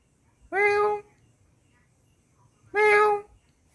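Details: Cat indoors giving two steady, drawn-out meows, each about half a second long and evenly pitched, separated by a pause of nearly two seconds in an otherwise quiet room.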